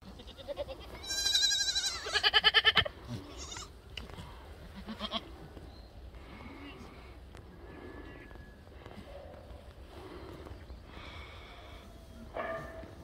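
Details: Black goats at Sunny's Black Goat Farm in Gimhae, South Korea; a loud, quavering, high-pitched bleat lasting under two seconds, followed by quieter farm background with faint murmuring and a few soft later calls.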